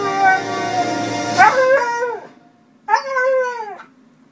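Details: A female Siberian Husky howls along to the 20th Century Fox intro theme, a little off-pitch, in long, wavering, rising-and-falling notes, as she does whenever it plays.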